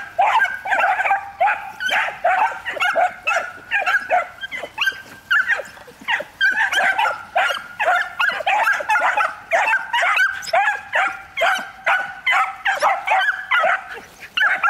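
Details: One-year-old Miniature Wire-haired Dachshunds (Canis familiaris) in a hunting-preparation training session give a hunting bark elicited by barking stimulation: sharp, high, rapid, insistent yapping in quick bursts.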